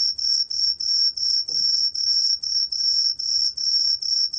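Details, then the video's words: Tree cricket (Truljalia hibinonis), recorded by Korea's National Institute of Biological Resources in 2020, sings a piercing high-pitched pulsed trill in rapid regular bursts, roughly three per second, with one soft low knock midway. "청솔귀뚜라미, 여러번 듣기, 곤충소리"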